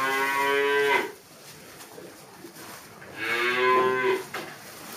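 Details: Dairy cows in a barn at a dairy farm in Kunak, Bogor, Indonesia, fed fresh grass after concentrate; two long harmonic moos, each about a second, separated by a quiet gap with faint barn noise.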